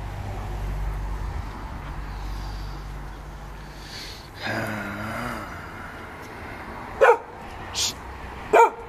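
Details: Vito, a Giant Schnauzer, at play, giving three short, sharp barks in quick succession near the end, after a stretch of low background hum and a man's brief voice.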